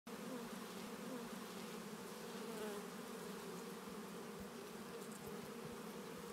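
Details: Bees gathered in a flock feeding on honey in the early morning; a steady, dense buzzing hum holds throughout, layered wingbeats from many insects at once with no pauses, faint individual passes rising and falling within the drone.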